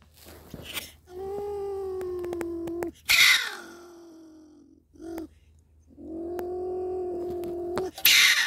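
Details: A stone marten caught in a live trap gives long, drawn-out moaning wails broken by harsh, hissing screeches.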